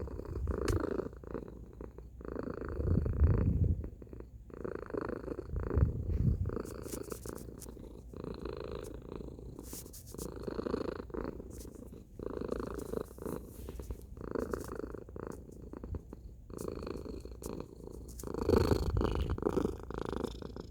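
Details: Loud purring from Tacy the domestic cat over a long stretch: a rough, low buzzing rumble rising and falling in regular breath cycles about every one and a half seconds, with no other sounds.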